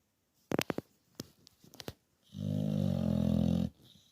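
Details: Teddy, an English Bulldog, asleep in a man cave: a few sharp clicks and taps, then one long rasping snore about a second and a half long, low and throaty with a rattling buzz.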